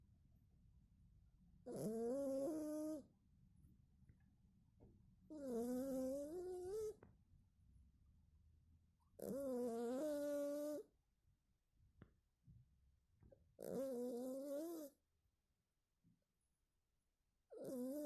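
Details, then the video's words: Sleeping cat snoring: drawn-out, tonal, slightly wavering breaths with a nasal whistle and a hissy edge, each about a second long, coming roughly every four seconds in a quiet room. "Кот храпит во сне"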